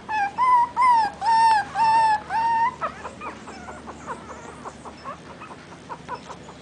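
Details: Dog calling for its mother: four long, clear, slightly wavering whistled whines with rich overtones, then a string of softer, shorter whimpers and yips.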